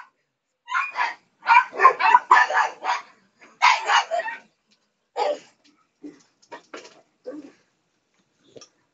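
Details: A pet female pug screams while begging for her share of dinner, as she does every night. Loud, harsh, harmonic yelps and squeals come in fast bursts over about five seconds, then shorter, fainter cries trail off.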